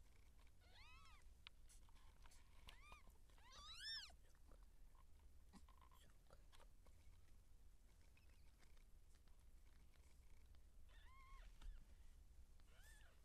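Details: Seal point Siamese cat giving birth, in labour with kittens being born: scattered arched meows, loudest near four seconds, then fainter calls later among soft rustling and clicking sounds over a low hum.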